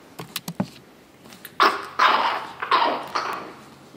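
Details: Chihuahua puppies indoors, recorded 9 April 2016: a few soft knocks, then four short, bright yips or barks in quick succession over about two seconds, each a brief burst with a tonal core, in a small room.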